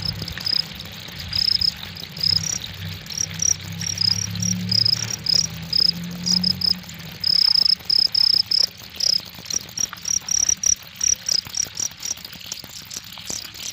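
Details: Cricket sending out high, piercing chirps in quick pulsed trills, some longer runs around the middle, with a faint low rumble early on.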